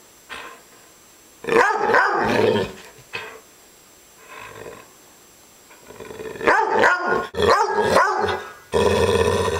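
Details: Upset female dog giving scattered rough growls and snarling bursts, quiet stretches between them, then a run of loud clustered growls toward the end.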